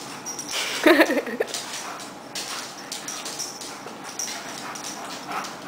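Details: Eight-year-old male Alaskan Malamute chasing his tail, giving a brief rising and falling whine of about half a second, followed by quiet rustling and soft background noise.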